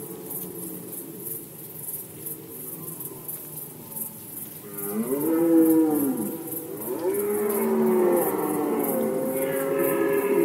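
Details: Poland, rut season 2020, red deer: a quiet start, then loud moaning roars with clear tonal bends, rising and falling, run back to back through the last half, with steady faint high chirring throughout.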